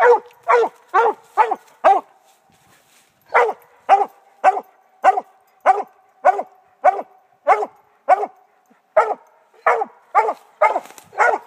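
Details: Treeing Redbone Coonhound barking over and over, each bark short, loud and ringing, delivered in quick runs of about two per second with one short break near the start.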